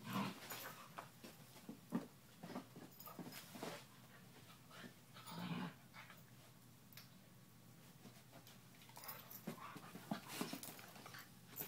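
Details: An 11-week-old German Shepherd puppy named Scout plays with a pit bull named Bella. The play is heard as breathy panting bursts, scuffles and an occasional low growl or whimper, in a small indoor space.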